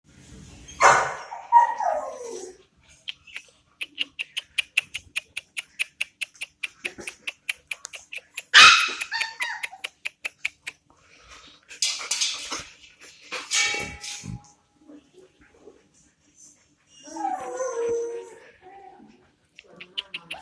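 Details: Labrador Retriever puppies recorded in Bandung, Indonesia, on 24/10/2019: short high yelps and whines in scattered bursts, separated by stretches of steady rapid ticking and quiet pauses.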